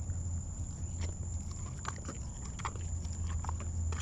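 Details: Crunching on a leg bone, an 18-year-old lion at Big Cat Rescue who had to be coaxed to eat makes loud snapping bites and grinding cracks several times a second, with a deep constant hum behind them.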